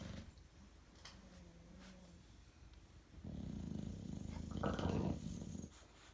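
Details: Bulldog deeply asleep at 2am, snoring: a low fluttering rumble that swells midway and rattles rapidly for a couple of seconds before fading, preceded by quieter soft breathing.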